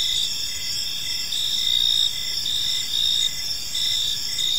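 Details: Short stretch of evening park ambience dominated by crickets: shrill steady trilling with intermittent pulsed chirps, many insects overlapping, quiet low rumble beneath.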